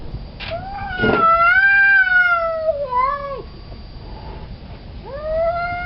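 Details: Male cat in heat howling for a fixed female: a loud, rich, sustained yowl that swells then bends downward, a short dip, then a new rising wail starting, with a brief thump near the beginning.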